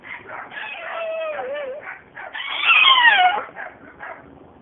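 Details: A deaf female French Bulldog puppy, seven months old, vocalizes in continuous warbling howls that swing up and down, swelling into a louder, strained, quavering scream midway before trailing off into shorter yips.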